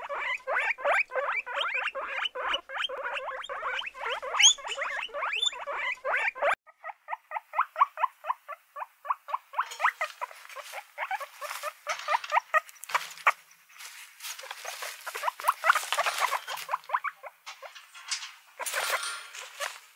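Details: A variety of guinea pigs: dense overlapping squeals give way to an evenly paced series of rising calls. Bedding rustles and shuffles, with occasional squeaks, in the second half.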